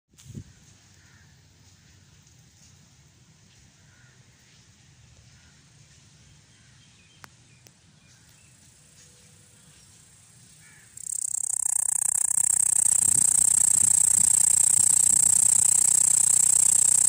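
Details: From a room's net window, a cicada starts quietly, then bursts into a loud, steady, high-pitched buzzing drone.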